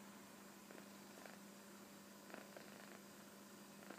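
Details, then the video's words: Kitten sleeping comfortably on a sofa, snoring softly: faint breathy rasps recur roughly every one to two seconds over a steady low electrical hum in a quiet room. "いびきをかく猫 - Snoring Kitten -"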